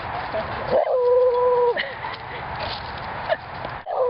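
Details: The beagle visiting next door sings for a mastiff named Mango and a labrador named Dexter, giving one held, level howl of about a second that drops off at the end. A short rising note follows, and a constant hiss runs underneath.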